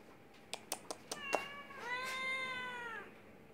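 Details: Young Oriental or Siamese cat indoors giving a single drawn-out, slightly wavering meow of about a second, preceded by several sharp clicks or taps and a person calling out.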